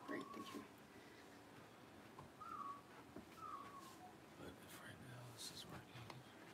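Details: Whining of newborn Blenheim Cavalier King Charles Spaniel puppies, six days old, in a litter of seven born September 15, 2022, indoors while being fed and weighed; thin whistled whines rise and fall three times, quiet voices and rustling underneath.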